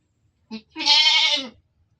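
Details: A goat kept in a pen gives a brief grunt, then a single loud, strained, nasal bleat held steady for under a second. It ends abruptly in silence.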